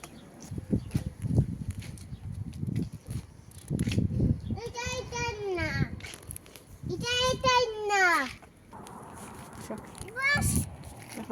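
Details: Sheep outside in front of a house, giving two drawn-out, quavering bleats that slide downward, each about a second long, then a shorter third bleat; children talk and chatter throughout.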